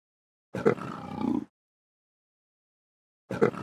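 A leopard lets out a rough, throaty roar lasting about a second, grating and breathy rather than tonal. After a pause of nearly two seconds a second, similar rasp begins.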